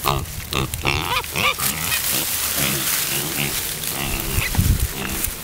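Pet pigs give short, deep, burp-like grunts in quick bursts.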